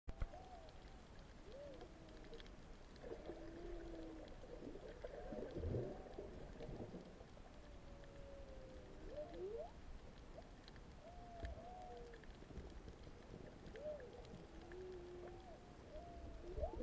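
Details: Humpback whale song recorded underwater off Ulua Beach, Maui, on 15 March 2020, heard in the background while diving among goatfish: a string of moaning tones, rising whoops and wavering arcs over a low rumble.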